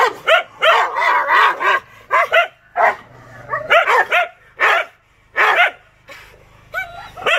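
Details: Angry Rottweiler at the peak of its anger, giving a run of loud, harsh barks and yelping bursts, some short and clipped, others drawn out, coming in uneven clusters with brief silent gaps between them.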